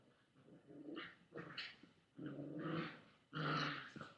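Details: Chihuahua growling at a boy holding a toy, webcam recording made on August 13, 2011 in the afternoon; rough, low rumbling growls in several sustained bursts of about a second each, rising and falling in loudness.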